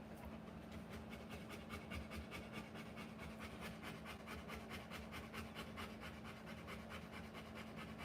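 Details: Rottweiler in labour, giving birth to puppies, panting in steady rapid breaths, about two to three per second, soft and even against a low background hum.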